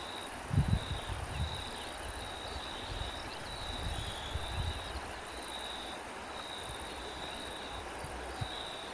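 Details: Crickets outdoors in wind: a thin, high-pitched trill runs steadily through the whole stretch in faintly pulsed bursts, while soft low wind rumble and a couple of brief gusts near the start sit underneath.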